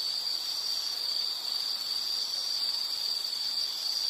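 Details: Insect chorus: a steady, unbroken high-pitched trill that holds one even band throughout, with faint hiss beneath and no other animals.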